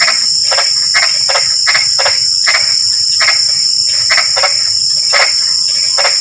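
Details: Frog chorus at night during light drizzle: rapid, rasping croaks in an uneven series, often doubled, several per second at times, with a constant shrill hum of insects behind them.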